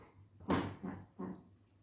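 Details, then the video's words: Golden retriever indoors, playing with its owner, lets out three short, breathy, gruff bursts, the first loudest, spaced about a third of a second apart, in a small room. "cute golden retriever dog playing with mom"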